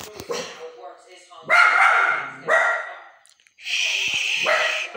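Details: Samoyed dog indoors barking at a woman's voice on TV news while quiet for men's voices; sharp repeated barks in bursts, with a woman speaking between them and a second dog nearby.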